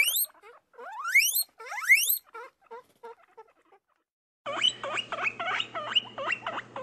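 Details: Pet guinea pigs: first loud rising whistled wheeks sweeping upward, three in a row, then softer short squeaks fading out, a brief silence, then a stream of fast chattering squeaks over a low hum.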